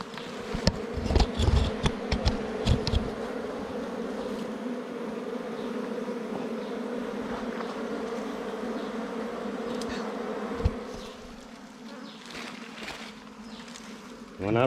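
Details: Bees swarming at a wild nest during honey hunting, a dense, sustained buzzing hum dominating for most of the recording, with rustling and clattering early on, the drone fading somewhat near the end before a brief noise.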